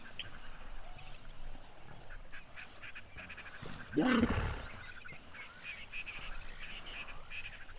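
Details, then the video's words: Common hippos in a pod at Duba Plains, Okavango Delta, at sunset, giving a single loud, rough honk midway through an otherwise quiet stretch with faint background hiss. "Sunset and hippo pod at Duba Plains, Okavango Delta - full length with hippo sounds"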